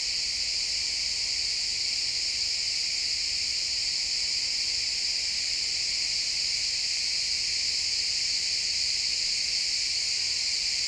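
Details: Pine forest at sunset filled with chirping crickets: an unbroken, high, shimmering insect chorus holding steady throughout, several overlapping bright pitch bands, and soft low rustle of woods ambience underneath.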